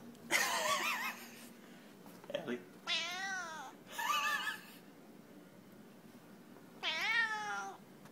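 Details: Cat giving a run of loud meows, several wavering and drawn out, some in quick pairs, with a last long falling meow after a pause. A brief thud or voice-like sound in between, and low background hum.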